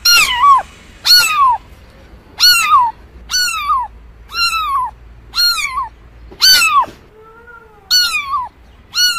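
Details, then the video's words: Cat giving a series of about nine high, falling mews, irregularly spaced roughly once a second, with a fainter lower tone between calls. "Real Cat Sounds"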